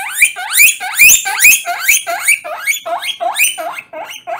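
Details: Guinea pig wheeking loudly during a bath: a rapid series of about ten shrill, upward-sweeping squeals, roughly two per second, loudest at the start and gradually softening.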